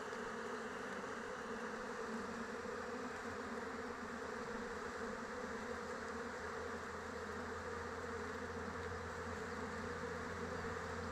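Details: Honey bees flying around their hive in open weather, a dense steady hum with bands of buzzing tone, continuous and even throughout, a faint low rumble underneath.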